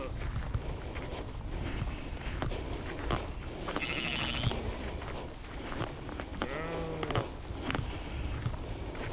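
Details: Sheep outdoors in nature, captured as a 360-degree spatial field recording with an Insta360 X3 and Zoom H2n; two short harmonic bleats with wavering pitch, about two seconds apart, over steady low rumble and scattered clicks.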